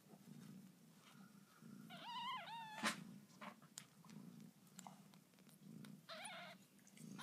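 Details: Newborn kitten of Lucy, a domestic cat, indoors: a short wavering mew, then a sharp click, and a second fainter mew near the end, all over a low pulsing background hum.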